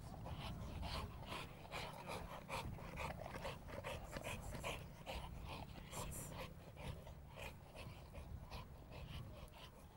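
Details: Sport bulldog in training at a Hungarian kennel, continuous fast breathy panting, irregular rapid puffs, a few faint higher whimper-like tones, with low rumbling background noise throughout.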